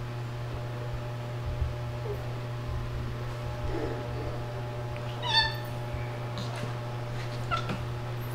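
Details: Two rescue cats, a ginger male pestering a white female, indoors on a Sunday afternoon, 26 June 2022; one short, bright meow midway and a fainter call later, over a steady low electrical hum.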